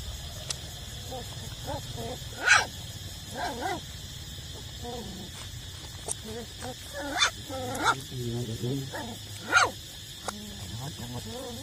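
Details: Puppies of eight weeks feeding at their mother's teats make frequent wavering whines and squeaky yelps, some overlapping, with brief louder cries amid a constant background hum.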